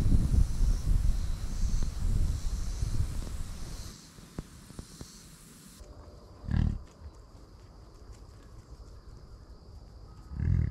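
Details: Buffalo ranch American bison: steady low rumbling noise at first, then two separate deep, short grunting bursts about four seconds apart against quiet outdoor background.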